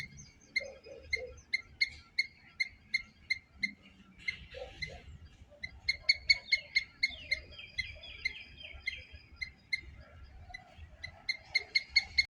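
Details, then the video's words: Squirrel chirping in long runs of crisp, high, evenly spaced notes, several runs separated by short gaps, with a brief warbling trill and some lower scratchy sounds in between. "Loud Squirrel Chirping sounds - Squirrel sound"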